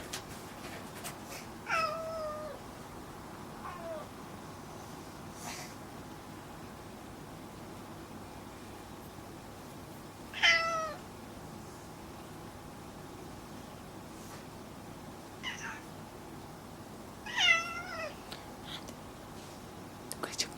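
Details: Pet cat Kuri talking indoors in a household of several cats, with Gon rhythmically scratching a board; five short, bent meows spaced several seconds apart, some falling at the end, against a quiet room hiss with occasional clicks.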